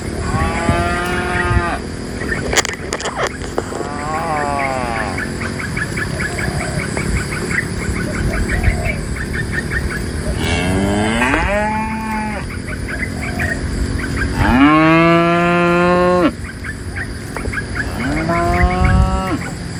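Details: Dozens of tame cows herded by a livestock herder out of a forest toward their pen; several drawn-out, rich moos swell and fade at irregular intervals, some sliding upward, over constant rustling background noise and a brief clatter early on.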